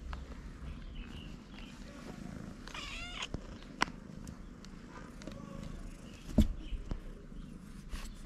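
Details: Hungry stray cats climbing onto a person, one giving a short harmonic meow near the middle amid low rumbling background noise and a few sharp clicks and knocks.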